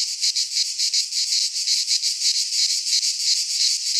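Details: Greek pine-forest cicadas in midsummer produce a sharp, rasping drone, throbbing in quick regular pulses about three per second, loud and steady with nothing else heard.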